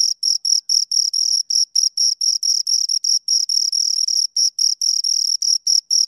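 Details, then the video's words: Two crickets chirping close up, a high, pure tone with a fainter overtone, broken into short pulses of uneven length, roughly four per second, with nothing else audible. "Two Crickets Chirp Sounds"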